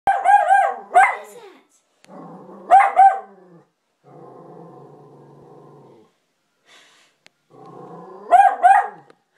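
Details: A dog barks at a new, lifelike poster of a person, giving sharp, high-pitched barks in quick clusters with lower rumbling sounds in between.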